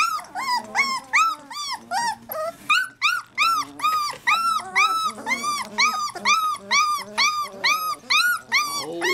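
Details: Several three-week-old Labrador Retriever puppies crying together indoors, a rapid run of arched, whining yelps about twice a second, overlapping voices forming a steady chorus, with a person speaking softly at moments.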